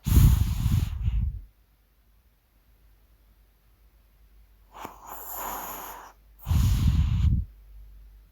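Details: A sleeping Maltese dog snores in loud, rough, low rumbling breaths, one at the start and another near the end, with a softer hissing breath between them and quiet pauses.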